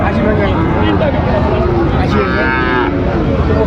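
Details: Sahiwal bull calves at Raniganj cattle market, Dinajpur, on 22 January, as trading opens: a drawn-out harmonic bawl rising then holding steady, over constant crowd chatter and market hubbub.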